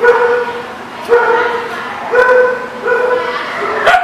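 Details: A dog gives a series of drawn-out, tonal whining cries, each lasting about a second and repeated roughly four times, with sharper onsets between them.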